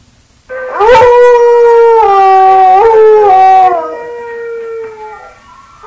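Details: Buster the dog howling at himself: a loud, sustained tonal howl with rich harmonics, holding steady then stepping down in pitch twice before fading into a quieter, lingering tail.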